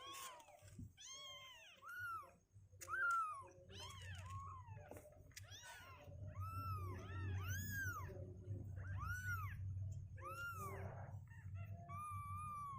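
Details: Several two-week-old domestic kittens, growing stronger on their legs and not wanting to stay in their box, give repeated high arched meows, many overlapping, with a steady low indoor hum beneath.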